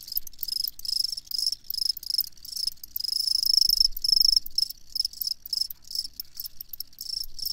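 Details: Crickets chirping in a steady high-pitched stream of rapid pulsed bursts, with short pauses between groups and brief louder stretches, over a quiet background.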